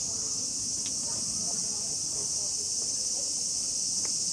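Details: A dense summer chorus of cicadas at a small shrine near Kamakura, Japan, makes a loud, steady, high-pitched hiss that never breaks, so loud that speech is almost drowned out.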